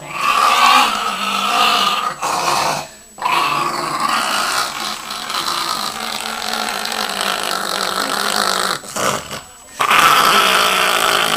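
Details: Chihuahua named Yoshi growling after his bath. A long, continuous, buzzy growl runs in sustained stretches, broken by brief breath pauses around three and nine seconds.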